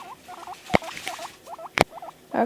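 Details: Panda the pet guinea pig gives paired hooked squeaks in a quick rhythm while reacting to played media, broken by two sharp clicks or knocks, then a rising rustle at the close.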